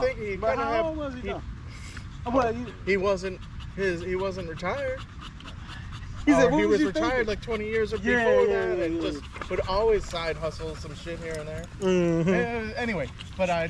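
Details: Male Staffordshire Bull Terriers in a group at a park on a long evening, 'chatting' together: drawn-out warbling whines and howl-like yowls that rise and fall, nearly continuous, with panting and overlapping voices.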